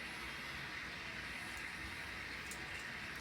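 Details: Steady broadband hiss with a faint low rumble and no clear animal voice.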